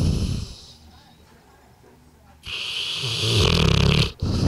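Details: A two-year-old Bullmastiff dog napping after a Christmas meal of turkey: low, rasping snores in the first half second, a quiet stretch, then loud rumbling snorts with a hissing, breathy edge from about 2.4 seconds on, briefly cut near the end.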